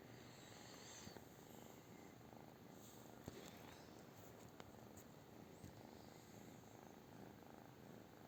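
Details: British Shorthair cat with a steady rumbling purr, rapid soft pulses under several small clicks and taps scattered through the recording.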